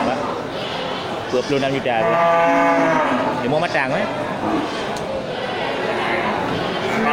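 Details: One drawn-out lowing moo, rich in harmonics, swells and then fades from a market-bound local bull at Geulumpang Payong animal market, 8 May 2021, with crowd chatter around it.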